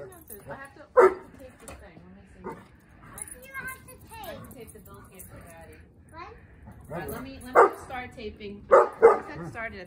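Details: Miniature Beagle playing with a Greater Swiss Mountain Dog: sharp, loud barks burst out near the start and again in a quick cluster toward the end, among people talking throughout.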